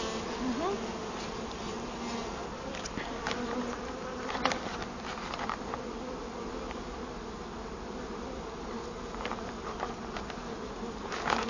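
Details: Honey bees from a wild hive found inside a large felled tree, disturbed while comb is cut out and bees are collected. A dense, steady droning hum with a low fundamental and overtones, continuous throughout, with occasional sharp knocks and clicks.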